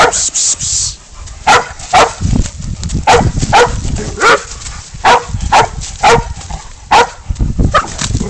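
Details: A goat bayed by the dog Spud in a catch-and-release hunt; a brief high hiss opens, then coarse barks ring out in a steady run, sometimes doubled, over a low rustling background.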